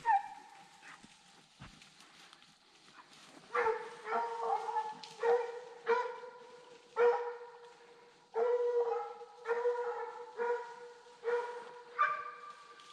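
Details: Young Redbone Coonhounds, a male in his second season and a female in her first, on a 2020 coon hunt. Deep, drawn-out bawls with rich overtones, repeated roughly every two seconds after a quieter start with a few scattered yelps.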